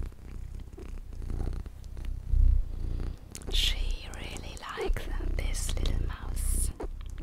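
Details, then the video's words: Small pet cat purring steadily indoors for relaxation, a low continuous rumble with rapid pulses, overlaid by soft whispering and brief rustling and tapping sounds. "my purring MINI Cat"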